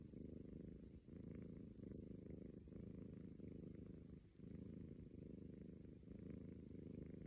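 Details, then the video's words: Persian cat Kenny snores with a soft, continuous low rumble, pulsing with each breath and pausing briefly about every second and a half, with nothing else audible around. "Kenny Persian cat snoring"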